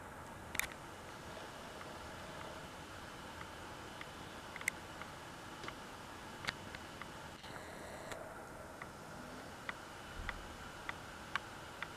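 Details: Quiet indoor hiss broken by occasional sharp clicks and ticks, with no animal voice.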